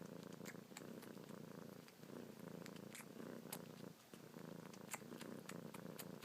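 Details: Kitten purring nonstop as she suckles on fingertips, paws working busily; a low, rolling purr with a brief dip near the middle, plus light clicking and rustling sounds.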